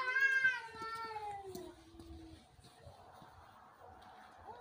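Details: Cats in a fight: a loud harmonic yowl that starts high and falls into a lower, sustained wail. It then fades into soft rustling, with a short yowl at the end.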